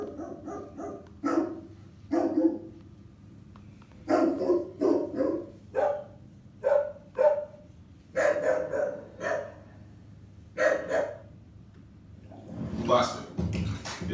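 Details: Rottweiler Ryker, a 90-pound dog described as constantly aroused and unable to relax, barks repeatedly in quick bursts of two to four deep, sharp barks separated by brief pauses, ending with a rustling noise.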